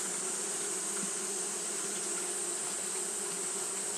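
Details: Japanese honey bee colony fanning in hot weather: a thick, constant buzzing drone with faint flickers of individual wingbeats over steady hum bands.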